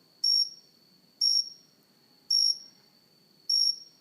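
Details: A cricket on a house plant, filmed close up, gives short, high, buzzy chirps, about one each second, over a faint steady ringing tone.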